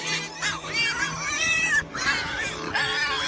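A pig gives a run of shrill, arching squeals and grunts, four or five bursts in three seconds, over a steady background of music.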